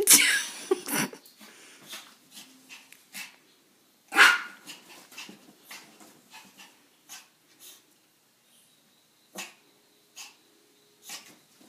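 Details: Poodles at home, a sharp burst of barks at the start and a loud single bark near four seconds, followed by scattered softer yips, sniffs and snuffling noises.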